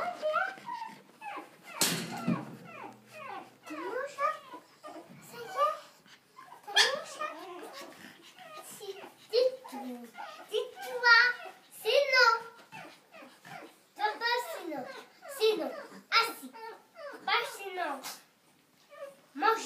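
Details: Month-old pug puppies playing squeak and yip in quick, high, wavering bursts, one after another.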